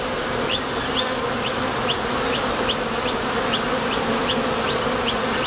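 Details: A constant low hum of honey bees arriving and departing at a top bar hive entrance while gathering nectar, with a crisp high tick roughly every half second.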